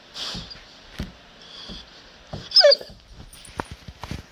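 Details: Great Pyrenees and Labrador mix dog that dislikes being recorded, indoors: a single brief, high, wavering whimper midway, surrounded by quiet soft clicks, shuffles and faint rustling.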